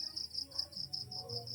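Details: Crickets chirping at night around the PB Team House, a quiet setting where only insect voices carry; a steady high trill pulses in rapid, even bursts about ten times a second, with faint low hum beneath.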